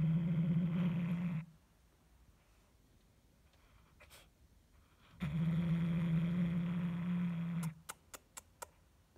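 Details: Guarding a toy mouse, the pet cat Hulusi gives two sustained low rumbling growls, each over a second long with a quiet gap between, followed by a few sharp clicks.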